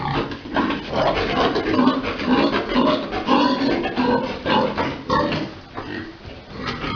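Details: Big boar mating a sow during breeding on a pig farm; dense, overlapping grunts and snorts that rise and fall quickly, about two per second, over a busy, steady background.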